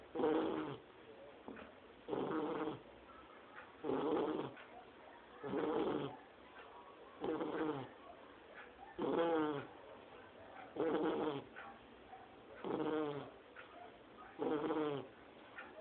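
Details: Sleeping Shar Pei puppy Lorena, only two months old, snores like a grown person: nine even, rumbling-buzzy snores with a voiced, whining edge, repeated in a steady rhythm roughly every 1.7 seconds across the recording.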